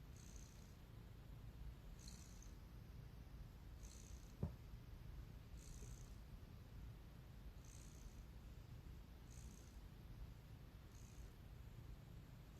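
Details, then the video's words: Cat purring steadily in a low, continuous rumble throughout, with soft high rasps in a regular rhythm about every one and a half to two seconds and one brief click midway. "Yawning & purring"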